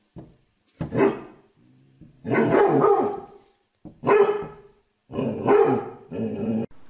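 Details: Pet dog barking loudly in harsh, broadband bursts, some short and some drawn out and doubled, roughly one every second or so, with no other sounds.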